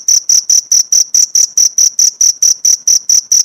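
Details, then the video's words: Cricket chirping, recorded as teaching material for caged white-eyes: high, piercing pulses repeated steadily about four times a second. "Masteran jangkrik untuk isian burung pleci"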